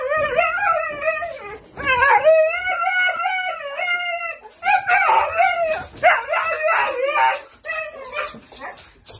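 A Siberian Husky gives long, wavering, yodelling howls and yowls to sound the alarm at visitors.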